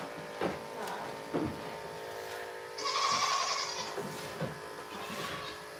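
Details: Goat on a farm, heard on a live stream: one drawn-out, nasal bleat in the middle, with short fainter calls around it over a steady electrical hum.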